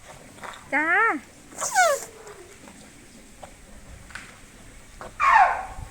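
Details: An elephant named Meri gives short, high, sweet squeaky calls that arch up and slide down, described as saying thank you, with people talking and clapping nearby.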